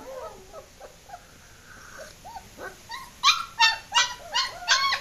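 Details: German Shepherd puppies escaping: soft, wavering whimpers for about three seconds, then a burst of five loud, high-pitched yelps in quick succession, each with bright overtones.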